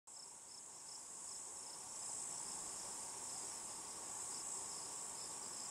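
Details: Cicada, possibly Tibicen inauditus, buzzing on a juniper tree in Picket Wire Canyon, southeastern Colorado, around 8 PM. A steady, very high continuous hiss runs throughout, with a faster pulsed trill just beneath it and a fainter lower hum.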